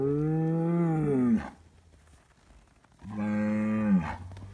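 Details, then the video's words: Scottish Highland cattle bull on a farm in Finland, being given bread, mooing: two long, deep, harmonic moos about 1.3 seconds each, the second starting near three seconds and ending slightly higher, with quiet farmyard background between. "Noisy bull says moo moooo mooooooo"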